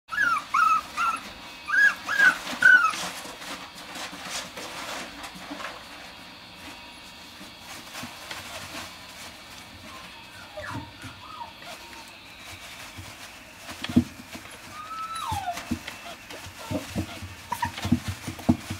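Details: Dog in a pet shop giving high, thin whimpering whines and short yips, clustered in the first three seconds, then scattered rising whines later, over steady shop hum with soft knocks and rustling.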